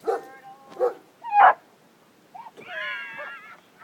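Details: Pet dog named Kisses barking at a small turtle: a few short, sharp barks in quick succession, then a drawn-out, high, wavering whine, with quiet pauses between.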